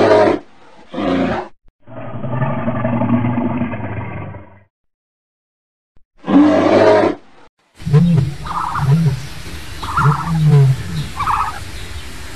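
Large mammals give deep, rough roars and bellows, followed by a run of low, repeated grunts.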